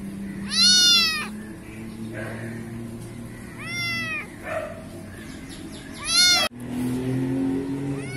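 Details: Black kitten in a garden in Pakistan mewing three times, high, loud and wavering, each about half a second long and a few seconds apart, with a low background hum and a sharp click near the end.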